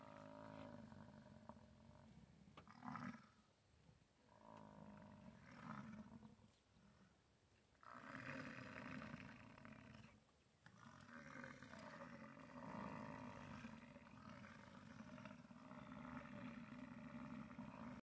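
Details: American bison during the rut at the National Bison Range in Moose, Montana, giving long, deep, rumbling roars that are drawn out for several seconds, with a steady outdoor hiss and faint wind in the background.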